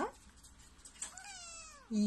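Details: A house cat makes one long, falling meow, tonal and gliding lower toward its end. A person begins speaking right after.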